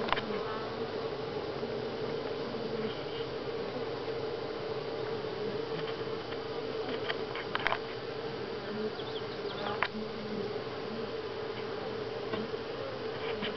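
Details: Honey bees at Grass Lake Sanctuary in July, week 6 of the colony, giving a steady dense hum with a strong low drone band, brief clicks and knocks scattered throughout, no other animals evident.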